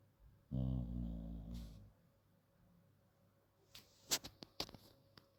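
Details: A female bulldog snoring, one long, deep rumbling snore lasting about one and a half seconds, followed by quiet breathing and a few sharp clicks and taps.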